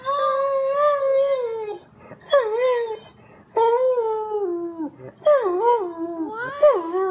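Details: Dog left alone at home howling and crying while the owner is out shopping: long mournful tonal howls that waver and fall, in four bouts separated by brief pauses, in a small indoor room.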